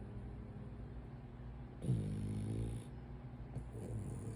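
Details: Napping French Bulldog, a brachycephalic breed, gives one low, rumbling snore with a raspy, layered tone lasting about a second midway. Faint steady hiss lies before and after.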